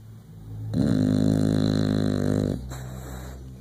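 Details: An English Bulldog gives one long, rattling, low-pitched snore lasting about two seconds.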